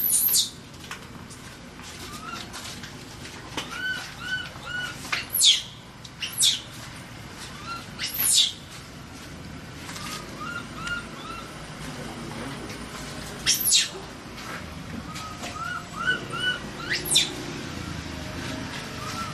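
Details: Trapped baby monkey, frightened and crying for help: shrill, sharply rising-and-falling screams burst out about seven times across the stretch, while soft, evenly spaced chirps repeat in the background.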